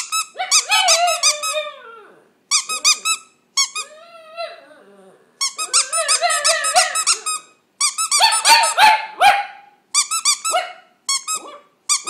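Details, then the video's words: A dog sings indoors with shrill squeaky yips in rapid clusters alternating with drawn-out, bending howl-like moans. Phrases last one to two seconds with brief silences between them, and there are no other clear sounds. "My dog singing"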